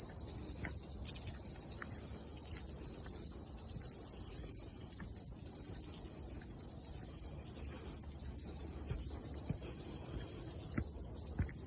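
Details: After rain, cicadas sing during a morning hike up a mountain; their shrill, unbroken buzz stays level throughout, with faint clicks and light steps below.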